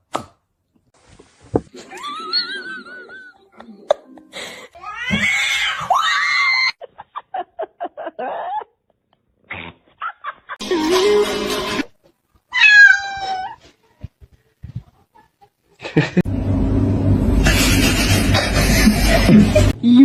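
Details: Domestic cat meowing in a funny cat compilation: several short, arching, tonal meows scattered through the recording, separated by clicks and pauses, with laughter, a person speaking and a long burst of loud broadband noise at the end.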